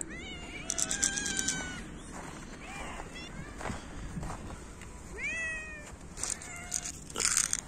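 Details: Winter feeding of hungry cats meowing loudly and competing for food: several short, overlapping meows with falling pitch, a clear pair around the middle and a sharp one near the end, plus rustling and clatter.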